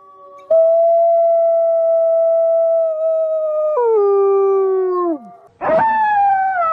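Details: {'caption': 'Pack of arctic wolves in winter; a howl starts sharply, holds steady, drops in two steps and trails off downward, then another wolf breaks in with a rising, rough onset that eases down.'}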